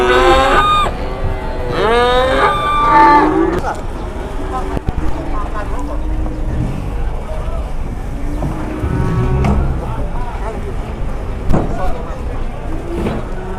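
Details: Indonesian cattle handled on and off trucks in 2021: loud, wavering moos cluster in the first few seconds, then engine noise, voices and knocks, with a fainter moo later on.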